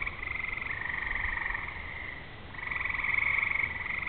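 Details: Frog chorus on a summer evening before rain, fireflies flashing and distant thunder: continuous buzzy pulsed trilling that dips in the middle, then rises again more loudly.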